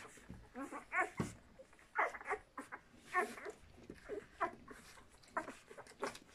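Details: Litter of puppies from Walking and Cartoon squealing and whining, brief tonal yelps that rise and fall, scattered unevenly through the recording with soft rustling in between.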